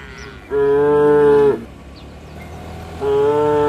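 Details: Village cattle walking back to their shed and calling to each other: a sustained, flat moo of about one second, a short pause, then a second identical moo beginning near the end, over low rural background noise.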